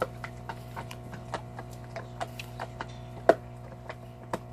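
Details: Salta, a large Belgian Malinois dog, working on a cow bone: evenly spaced hard clicks and crunches, one sharp loud crack midway, over a faint steady hum.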